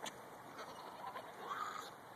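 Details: A female Pekingese gives nasal, honking snorts when excited, with a person speaking nearby.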